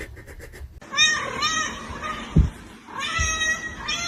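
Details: A domestic cat meows indoors: two drawn-out, tonal meows, each about a second long, with a short pause between them. A person's voice and a brief thump are also heard.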